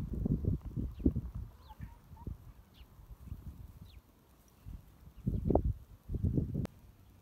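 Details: A pet cat comforting a person purrs in low, throbbing bursts that come and go, rumbling strongly near the end, while a few soft, thin bird chirps sound faintly behind.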